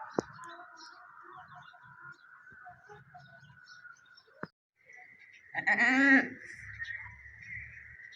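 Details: Goat during the delivery of a newborn kid. A steady high hum and faint clicks fill the first seconds, then one loud, quavering bleat rises and falls.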